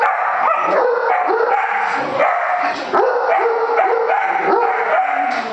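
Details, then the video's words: Jasper the pet Great Dane protesting at a balloon he hates: continuous moaning, howl-like whines with wavering, sliding pitch, strung together in quick succession over several seconds. "Great Dane hates balloon"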